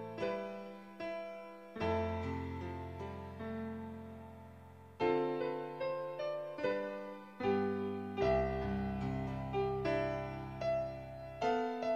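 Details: Gentle electric piano music with sustained chords and a slow melody, free of any animal sound.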